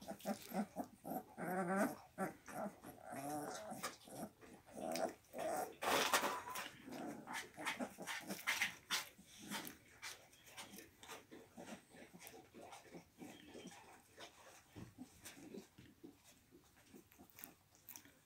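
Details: Kangal dogs at the Altın Yayla Kangal farm. Quick, irregular bursts of harsh growls and yips, with higher whiny tones near the start and middle. The sounds fade over the second half.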